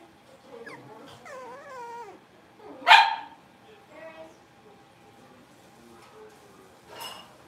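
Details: Blenheim Cavalier King Charles Spaniel puppies, a litter of five born at New Year's, playing in the Red Barn Cavaliers puppy pen: wavering, rising-and-falling whimpers early on, one sharp loud bark near the middle, then a brief yelp at the end.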